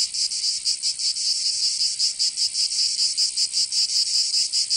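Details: Summer cicada chorus from Provence in the south of France, a harsh high buzzing that throbs quickly and steadily, several pulses each second, filling the whole recording.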